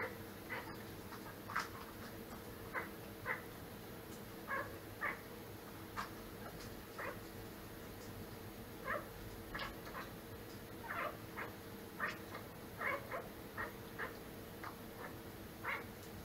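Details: Domestic cat making strange sounds: many short chirp-like calls repeated irregularly, about one every second, fairly soft, over a steady indoor hum with a faint tonal background.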